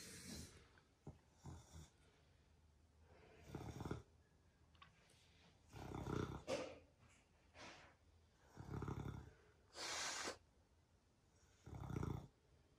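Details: Rocket, a pet Beagle, snoring very loudly while asleep: rough, breathy broadband snores recurring roughly every one to two seconds, with quiet gaps between the louder bursts and no other clear sounds.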